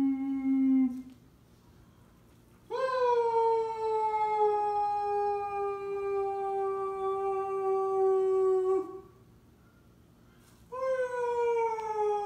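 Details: Siberian Husky howling: a brief high note, then a long, steady, tonal howl held about six seconds that sinks slightly, and after a quiet gap another howl begins.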